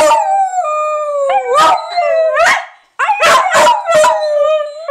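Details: Pet dog named Honey, coaxed to say "I love you", gives long wavering howls that swoop up and down in pitch, with sudden cracking breaks and a brief pause midway.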